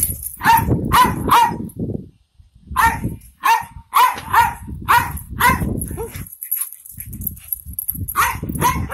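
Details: Pet Jack Russell Terrier, one of two in the household, barking in rapid loud volleys: three quick barks, a pause, then a run of sharp repeated barks about every half second, with low rumbling background noise.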